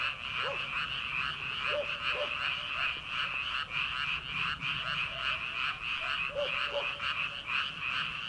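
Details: Frogs in rice paddies on an early summer night before rice planting: a loud, pulsing rattle of many croaking frogs, with separate short, lower gulping croaks breaking through every second or two.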